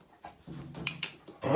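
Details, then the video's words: Female English Springer Spaniel "talking" indoors: low grumbling growl-like vocal sounds rising into a louder yowl at the end. "Talking dog"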